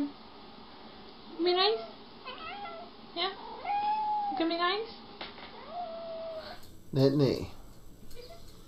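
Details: Jealous house cats indoors trade drawn-out wailing meows, some rising then falling, one long level whine near 4 seconds, followed by a loud harsh yowl at 7 seconds; a person talks softly in between.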